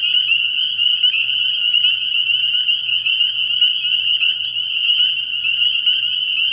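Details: Spring peepers calling together at night from a frog pond in early spring, their piercing high peeps blending into an unbroken, shimmering chorus with no other clear sounds.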